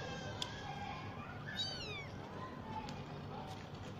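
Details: Lively domestic kitten roaming and foraging for food on its own; one drawn-out, wavering meow that falls in pitch, set against a steady low background hum and a few faint clicks.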